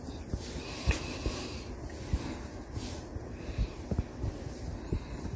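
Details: A domestic cat eating, recorded close up in ASMR style at modest quality: soft, irregular chewing clicks and crunches come several times a second over a steady low rumble and hiss.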